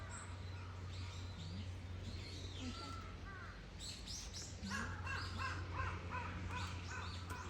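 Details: Bush dogs at Zoorasia, Yokohama Zoo, Japan, recorded on 21 November 2022, give quick, high, whistled chirps, scattered at first and then in a dense run of short squeaks, over a steady low hum.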